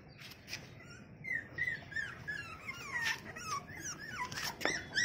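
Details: American Bully female puppy from a litter of six for sale whimpers in thin, high, sliding squeaks, several per second, some dropping in pitch, with soft clatters between.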